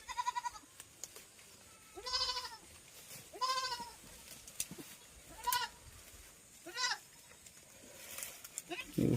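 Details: Goat giving a series of short quavering bleats, roughly one every one to two seconds, with a voice talking between calls and scattered clicks.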